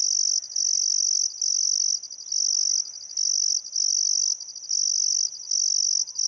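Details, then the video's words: Crickets chirping on a still summer afternoon at sunset by the Barcoo River, Welford National Park, Outback Queensland, Australia: a loud, high, continuous trill broken into bursts by brief gaps, with faint bird calls beneath. "Australian Sunset Chirping Crickets"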